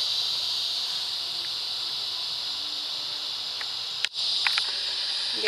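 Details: Cicadas singing for love on a summer evening in Florida: a steady, intense high-pitched buzz that drops out briefly around four seconds after a sharp click, then resumes with a few faint ticks.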